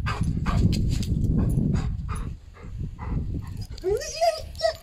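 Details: Golden Retriever dog excited about going for a walk; scuffling, rustling movement noise, then a short high whine rising and falling near the end, with a second brief whimper.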